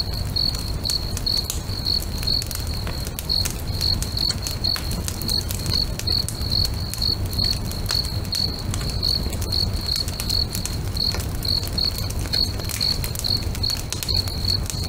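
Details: Crickets at a lakeside at sunset, a bonfire crackling nearby; a high, even chirp repeats roughly twice a second throughout, with scattered loud fire pops and a deep steady rumble underneath.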